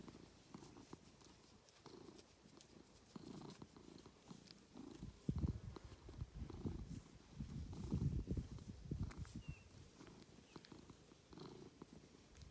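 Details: Domestic cat named Ovenmitt, nicknamed Lovebug, on a farm in County Kilkenny, Ireland, purring while enjoying attention; low rumbling purr in rhythmic pulses, swelling louder around the middle, with soft rustling.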